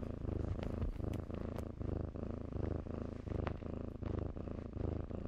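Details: Purring kittens play among blankets: a steady, deep rumbling purr in evenly pulsed waves about one and a half per second, with small crackles of moving cloth on top.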